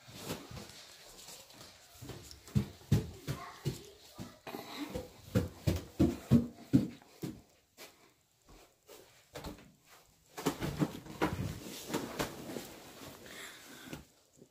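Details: Dog indoors in a small room making funny noises: a run of rough, wheezy snorting grunts, roughly three per second, in two bursts with a short quiet gap between them.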